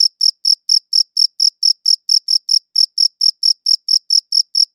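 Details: A single cricket chirping against a quiet background, steady high-pitched pulses repeated about four times a second with a faint overtone above, each chirp short and even, no other sounds.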